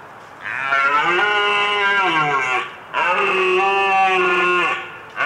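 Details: A European deer gives two long, nasal, moaning bellows about two seconds each, steady in pitch and sagging slightly at the end, with a short pause between.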